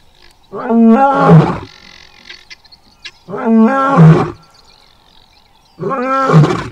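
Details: Adult male lion in South Luangwa roaring: three deep, powerful, harmonic roars roughly every two and a half seconds, each swelling then ending in low grunting tails, with quiet rural background between.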